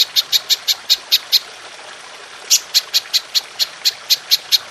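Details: Golden grasshopper for songbird training: sharp, high, evenly spaced ticks in a quick series, a pause of about a second, then another regular run of ticks.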